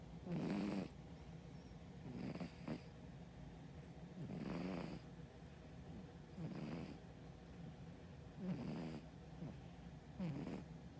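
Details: A sleeping brown tabby cat on a diet snores steadily, with soft raspy breaths repeating roughly every two seconds, each a low rumbling snore with breathy hiss, in an otherwise quiet room.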